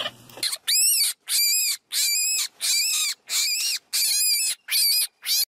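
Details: Baby rabbits calling in a fast run of eight high, arching squeaks, each rising then falling, repeated about every 0.6 seconds with brief silences between, after a short burst of rustling at the start.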